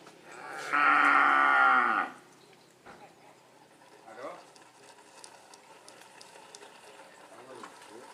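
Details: Karapan sapi racing bull of Madura, East Java, Indonesia, in training, giving a single strong, steady moo of just over a second near the start, followed by quieter background chatter and scattered knocks.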